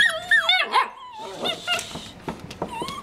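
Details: Puppies wrestling together, yelping and whining in quick high sliding cries that rise and fall, overlapping rapidly with scuffling noises and a person's voice asking what they are doing.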